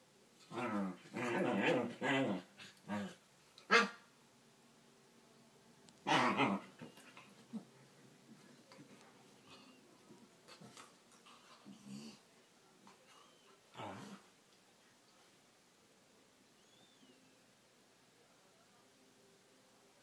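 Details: Two corgis play fighting on their backs give rough, grumbling growls and short whiny yelps, with quiet gaps between.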